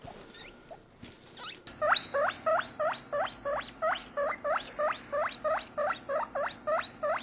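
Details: A male guinea pig drinking milk while being squeezed gives rapid, high, swooping squeaks, about three per second, as happy noises.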